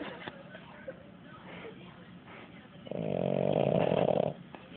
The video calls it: Boston terrier snore